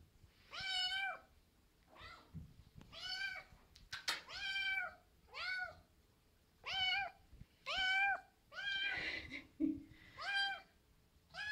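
A Maine Coon kitten gives a run of high, clear meows, one roughly every second or so.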